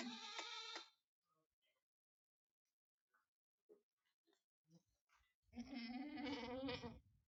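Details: Small goat kids on a farm in Aurangabad, Maharashtra, India, with a short bright bleat, a stretch of faint clicks and shuffling, then a long, loud, quavering bleat.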